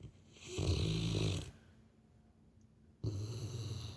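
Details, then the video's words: Sleeping Labrador Retriever snoring like a person indoors: a long, deep, rattling rumble of about one second, a quiet pause, then another low, throaty snore beginning. "Labrador roncando igual gente"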